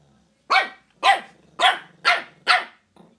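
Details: Shih Tzu barking at home while five-year-old Scratchie is introduced to Lady Bug, a three-month-old puppy: five sharp, loud barks at roughly half-second intervals, with a faint low growl trailing at the end.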